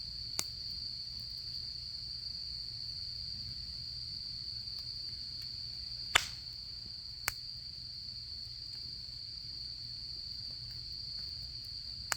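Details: Autumn insects calling at a campsite during the autumn camping season beside a campfire: a steady, unbroken high-pitched trill holds throughout, broken by a few sharp crackles and pops from the burning fire.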